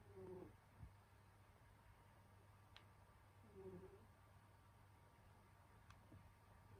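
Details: Senyora Betsy, a pet cat, snoring while asleep in winter: two soft, whistly nasal snores about three seconds apart, each a short tonal hum with a lower undertone, over a steady low indoor hum.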